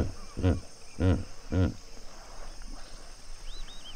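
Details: African hippos in a pod at sunset, Duba Plains, Okavango Delta: three loud, deep, pulsed honking grunts about half a second apart, followed by softer whistled bird chirps and a steady insect hum.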